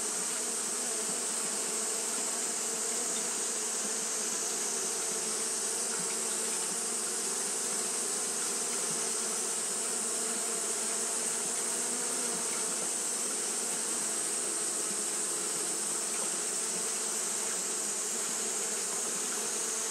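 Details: Japanese honey bees fanning continuously on a hot day, giving a dense, steady low hum with layered droning tones beneath a constant high, hissing shimmer that never breaks across the recording.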